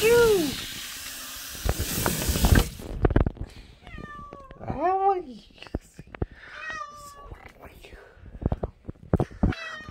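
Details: A cat called Momi follows a burst of loud rustling with a run of bent, wavering meows, one longer arched cry in the middle, then quieter mews amid tapping sounds.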